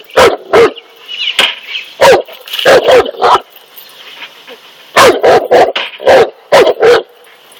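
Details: Cane Corso barking while confronting a snake, loud sharp barks in clusters of two to four, separated by short pauses, over a steady background hiss.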